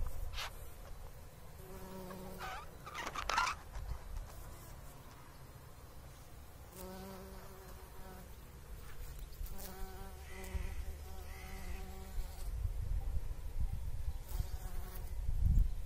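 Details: Bumblebee pollinating flowers: a low, droning buzz with a rich harmonic hum, coming in bursts of one to three seconds that swell and fade as it moves, over a steady low rumble of wind and a few clicks.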